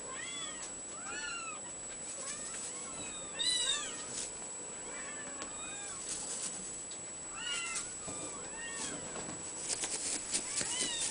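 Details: Young Abyssinian cat Mikitiko mewing in a run of high, arching calls that rise then drop, several coming in quick bursts with short pauses, over a low steady hiss and a few soft knocks.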